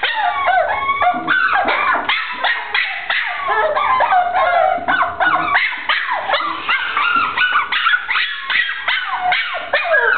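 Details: A short-haired brown dachshund vocalizes almost nonstop, with quick yips blending into long, bending whines and howl-like wails repeated about three times a second.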